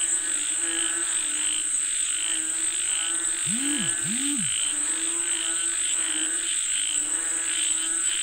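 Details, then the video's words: Frogs calling for rain in a continuous croaking chorus of grating pulses, with two low swooping rising-falling sounds near the middle and a steady high whine behind. "Listen to the Sound of Frogs Calling For Rain 🌧️🐸 เสียงกบเรียกฝนตก"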